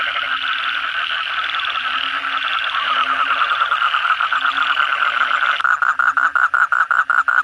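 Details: Many Asian common toads calling together at night after heavy rain. A dense, loud chorus of rapid pulsed croaks and rattling trills overlaps continuously, and one nearby caller becomes sharply pulsed in the final two seconds.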